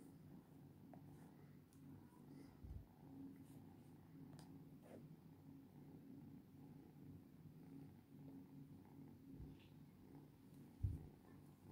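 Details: Domestic cat purring close up indoors, a steady low rumbling drone that pulses in soft regular beats for the whole stretch, with a few faint clicks and one brief thump near the end.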